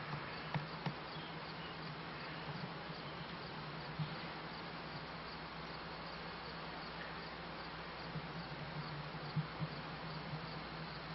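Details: Honey bees kept by a beekeeper, late 1995 season into 1996: a steady low droning buzz hums throughout, with a few soft clicks and a faint hiss behind.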